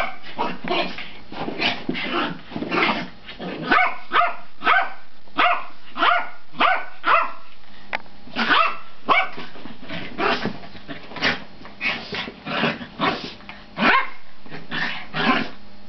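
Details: Household dogs play fighting, giving a run of sharp barks and yips roughly every half second to second, some overlapping, in a small room.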